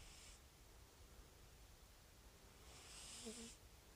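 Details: Calico rescue cat snoring: soft breathy hiss near the start, then a longer rasping breath with a faint low whistle near its end, quiet background between.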